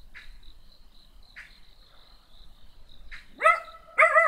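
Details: Quiet stretch with soft clicks and a steady high hum, then a small black dog lets out two quick sharp barks near the end.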